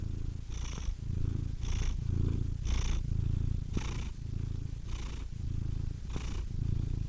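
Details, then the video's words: Cat purring steadily: a low rumbling purr swelling and fading with each breath, roughly one cycle per second, with a faint breathy hiss on each breath. "Cats Purring Soothing Sound Effects (Relaxing Cat Sounds)"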